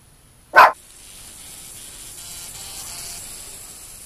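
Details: Dog guarding cows gives one short, sharp bark, then quiet with a low background hiss.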